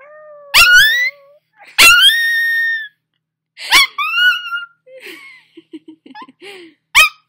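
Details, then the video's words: Young dog, freshly woken, howls with its owner's singing beside a fireplace: three squeaky falling-then-level wails in quick succession, then faint whimpering chirps and one last short rising squeal. "My Dog Howls"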